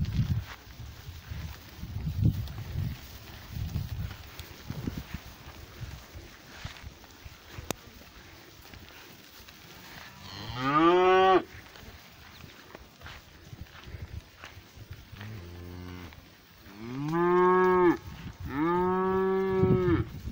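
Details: Pasture cows, a black one drawing near; after about ten seconds of quiet shuffling and rustling, a loud moo breaks in, then a shorter low call and two more strong harmonic moos.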